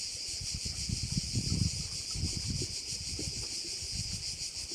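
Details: Crickets chirring over a bay on Korčula, a dense high continuous buzz with fine pulsing, while low gusty wind rumble comes and goes underneath.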